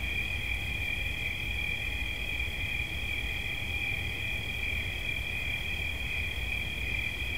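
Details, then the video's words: Continuous shrill cricket trill that holds two stacked high tones without pause, set against faint low-pitched background noise. "Świerszcz. Dźwięki relaksacyjne"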